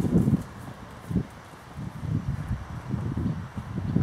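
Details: Princess, a Percheron cross horse moving in a paddock on 20 July 2013: dull, low thuds land irregularly, about eight in four seconds, with soft rustling between the steps.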